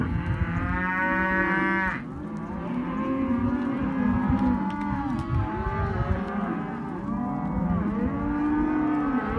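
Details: Hereford and Careta calves, male and female, penned together as a sale lot, calling in a dense overlapping chorus of low, drawn-out moos with rich harmonics, one voice rising over another almost without pause; a faint steady rumble underneath.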